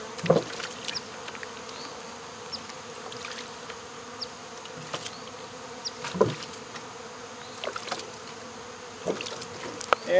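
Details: Honey bees fanning at the entrance of a box holding their queen during swarm removal at local baseball fields; softer sustained hum with a clear tonal band, punctuated by several louder thumps and clicks.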